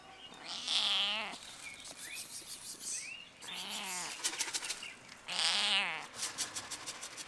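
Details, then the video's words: Stray domestic cat meowing from a fence on a campus closed due to coronavirus: two drawn-out, wavering meows at the start and near the end, a shorter one in the middle, with faint chirps and clicking in between. "the cat meow at me on the fence"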